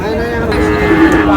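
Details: Sahiwal bull calf at a busy Chandpur cattle market in Bangladesh, 15 May, giving one drawn-out, steady-pitched moo with a faint lowering toward the end, over a constant background hum of the market crowd.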